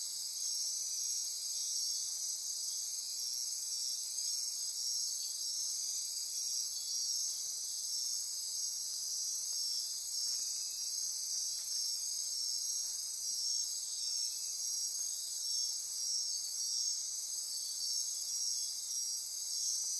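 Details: Midnight rainforest insects on Costa Rica's Osa Peninsula near Corcovado National Park keep up an unbroken high buzzing and ratcheting chorus, layered shrill trills holding constant for the whole stretch.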